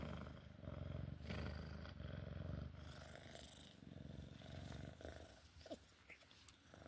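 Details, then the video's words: Loud, close purring from a Sphynx cat at play, a low vibrating rumble of quick regular pulses, fading slightly after a few seconds amid light rustling. "Sphynx cat play time purring"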